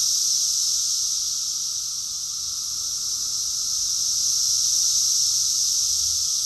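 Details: Massed cicadas sing through a June 2021 summer in Rockville, Maryland, USA, making a steady, piercing, hiss-like drone that holds almost level, dipping slightly and then growing a little louder toward the end.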